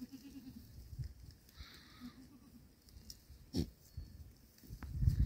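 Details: Goats recorded on 19 October 2024, giving short, low, harmonic bleats near the start and again around two seconds, over a steady rumbling background with a sharp knock midway.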